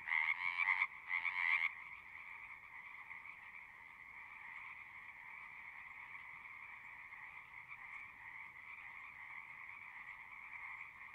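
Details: Frog chorus opening with two loud close bursts of trilling in the first two seconds, then settling into a softer, distant, continuous trilling din with faint low background noise.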